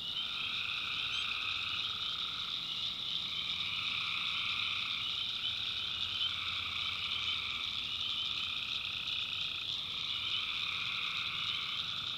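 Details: Swamp at night in the North Carolina backwoods, tree frogs keeping up a thick, steady chorus of high trilling calls, lower layers fading in and out every few seconds, and a faint low hum underneath.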